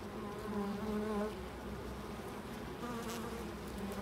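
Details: Close, loud bee buzz at a loading dock, a strong steady drone for about a second that then fades and returns more softly as the insect moves around.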